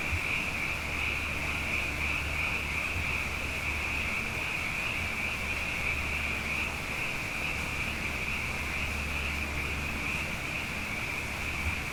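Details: Nighttime frog chorus after a pair of wet years, fainter here: a thin, constant high-pitched trill from numerous frogs, with a soft low hum and background hiss.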